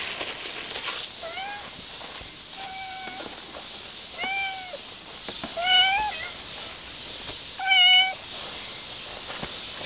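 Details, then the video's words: Mother cat trying to take her kitten outside, a stray; a series of five or six meows, growing louder and higher, roughly every one to two seconds, over steady background hiss. "Mother Cat Is Trying To Take The Kitten Outside"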